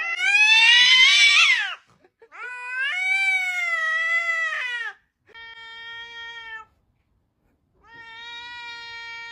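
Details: A cat yowls in long, harmonic-rich wails before a fight with another cat, the first wail rising and wavering and later ones steadier and flatter.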